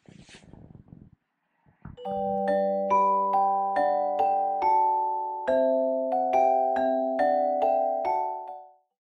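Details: A short rustle, then a bright mallet-percussion melody of chiming notes plays with no animal sound.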